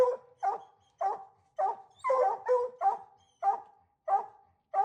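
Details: Raccoon-hunting dogs sound off in a run of barks and bawled notes spaced about half a second apart, with a cluster of louder overlapping calls in the middle.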